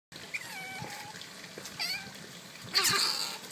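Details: Asian small-clawed otters at Ikeda Zoo, 12 January 2013, squabbling over something, give short, high chirps and squeaks, some rising, over steady splashing water that ends in a louder burst.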